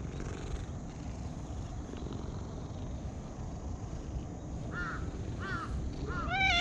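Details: Cat purring while being stroked: a steady, low, continuous rumble runs throughout, with a few short harmonic calls toward the end and a louder rising cry at the very close.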